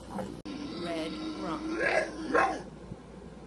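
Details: Bulldog making voice-like vocalizations that sound like speaking: a wavering, drawn-out moaning tone that rises and falls in pitch, with a few rough, throaty syllables and faint music underneath.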